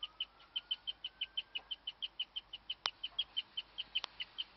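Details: Rare chirping from a female guinea pig in a hutch, which went on for ten minutes while the other pigs froze: a steady run of high, thin peeps at a quick, even pace, interrupted by two sharp clicks.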